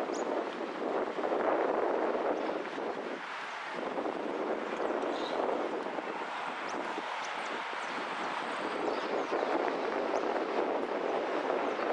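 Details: Steady broadband roar like an engine or aircraft mixed with wind buffeting, with no animal calls heard.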